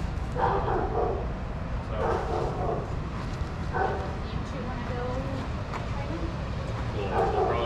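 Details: Shelter dogs at play in a daycare bark in separate bursts about every one and a half seconds, with a few thin whining notes between them and a low rumbling hum underneath.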